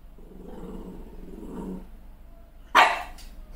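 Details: Malshi puppy, a crossbreed, furious after seeing herself in the mirror with a new haircut: a low rumbling growl over the first two seconds, then one sharp loud bark.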